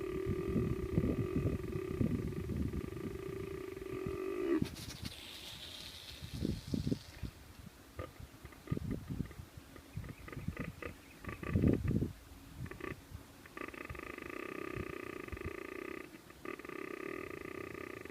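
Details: Whitetail buck tending: deep, guttural grunts come in irregular bursts, with a sharp hissing burst near five seconds, over a steady background hum.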